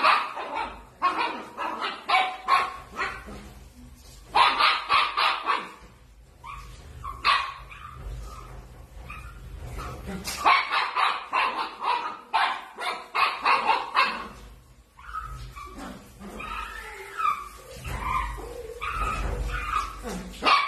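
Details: Playful Dachshund puppies barking in loud, rapid bursts of sharp yips and barks, with short pauses between flurries and some background noise.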